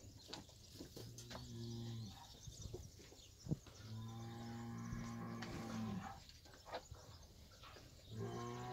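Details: Fighting bulls and young bulls lowing: three long, steady, deep moos of one to two seconds each, spaced a few seconds apart, with faint background noise between calls.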